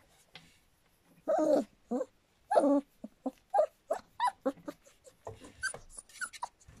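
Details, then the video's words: Litter of Standard Poodle pups aged about three weeks and three days at Cantope Standard Poodles, uttering a run of short whimpering yelps, two louder cries early, then quicker repeated squeaks roughly every third of a second. "River's Pups - 3wks & 3 days"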